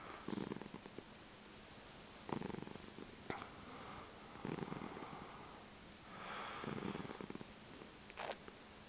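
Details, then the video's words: Tabitha, a chocolate spot tabby crossed with seal point Siamese cat, waking her owner in bed in the morning: rough pulsing purrs in bursts of about a second, repeated several times, with a short sharp sound near the end. "Tabitha wakes up"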